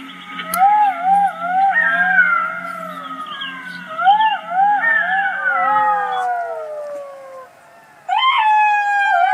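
Several jackals howl together in wavering, overlapping wails that rise and fall, sliding downward before a fresh burst.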